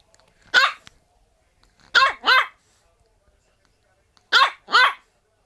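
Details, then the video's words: French Bulldog giving strange, hoarse, yelping barks: one single bark, then two quick pairs of short barks, each pair separated by a couple of seconds of silence. "Bulldog French strange sounds bark"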